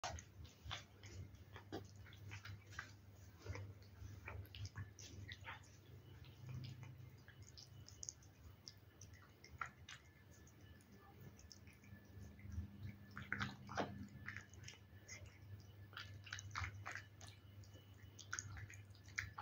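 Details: Fanta the cat eating wet food: soft, irregular wet chewing clicks and smacks, close and quiet, over a steady low hum.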